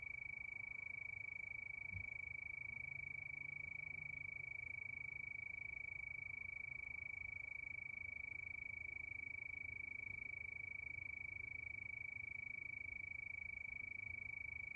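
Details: Crickets at night: a continuous shrill tone with regular quick pulses, under three per second, unbroken throughout, while a dull low rumble sits beneath.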